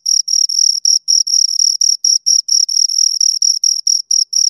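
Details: High-pitched chirping from two crickets, made by rubbing wings or legs together: slightly longer pulsed bursts, roughly two per second, divided by short clean pauses, in an otherwise silent background.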